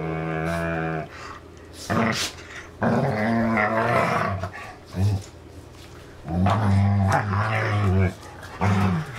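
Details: Dane and Polo playing tug with their rope toy indoors; bursts of deep rumbling growls lasting one to two seconds recur several times, separated by quieter gaps with shuffling sounds.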